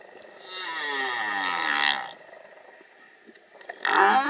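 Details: Male humpback whale singing in courtship on Australia's Great Barrier Reef; a drawn-out, harmonic, moaning tone lasting about a second and a half, followed by a short, rougher burst.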